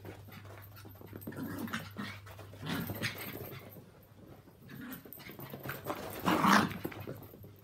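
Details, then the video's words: Walt and Milly, Yorkshire Terriers aged three and four, and two-year-old Maltese Harvey have their mad half hour of play together. Breathy panting and soft grumbling growls run throughout, rising to a loud harsh snarl burst late on. "Yorkies and Maltese Dog Playtime"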